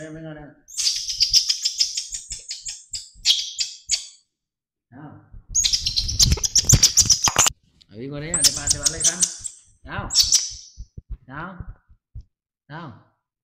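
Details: Young pet monkey crying after waking, left sitting while its keeper steps away: loud, shrill, wavering high-pitched wails in three long bouts with shorter whimpers between, and a man's speech in between.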